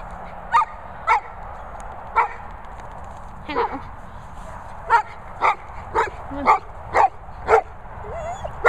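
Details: Golden retriever talking: a string of about a dozen short, bright yelps at a brisk, uneven pace, broken by a brief drawn-out whining note partway through.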